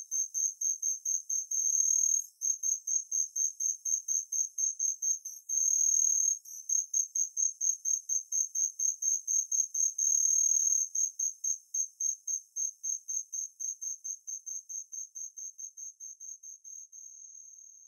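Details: Natula matsuurai, the Kinhibari cricket, calling in high tinkling pulses several times per second, broken by a few brief sustained ringing trills, then fading gradually toward the end; otherwise quiet.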